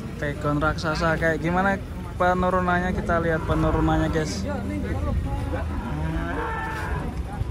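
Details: Giant cattle coming down from a truck at a market, several overlapping deep, harmonic moos, some long and wavering, others short, following one another over the whole stretch, with low engine rumble and market noise underneath.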